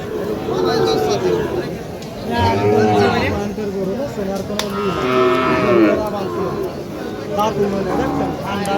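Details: Cattle at a busy cattle market where young cows are offered for sale; a low, drawn-out moo rises and falls in mid-clip, partly buried under constant bargaining voices and crowd chatter.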